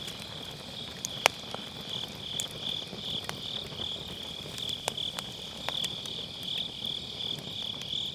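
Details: Unbroken shrill trilling of grass insects on an autumn night, punctuated by many sharp firewood cracks from a round fire-pit bonfire, one especially loud snap early on; Sennheiser MKE600 recording with low cut.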